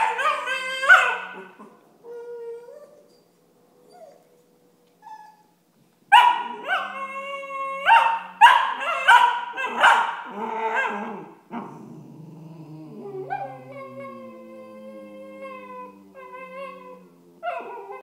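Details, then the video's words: Tibetan Terrier puppies Alfie and Belle, six months old, argue, with Alfie complaining and Belle putting a stop to his whining. Rapid clusters of yelping barks and high whines, then drawn-out, wavering moans. "Tibetan terrier pups arguing"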